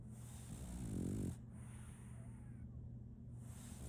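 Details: French Bulldog named Solaimy, a female puppy, snoring while asleep; one low rumbling snore swells for about a second, then quiet breathing over a steady low hum.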